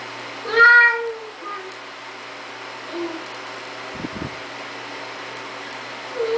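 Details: LuKang, a Siamese cat busy opening a door, lets out a single clear, slightly wavering meow near the start, then quiet room hum with soft knocks and a faint short mew at the end.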